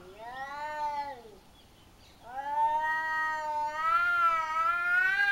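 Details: Two cats quarrelling in a home garden in Japan, the household cat facing a slightly smaller rival: long drawn-out wailing yowls, a falling moan, then a rising, wavering howl held for several seconds.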